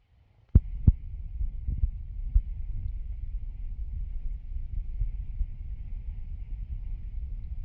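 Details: Mother cat lying with her kittens, purring in a deep, steady, low rumble that runs unbroken through the clip, after a couple of soft knocks at the start.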